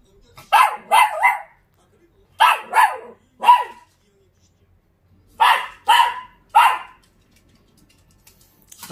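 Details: Short-legged Dachshund conversing with a man, replying in bursts of three quick barks repeated three times with silent pauses between the groups.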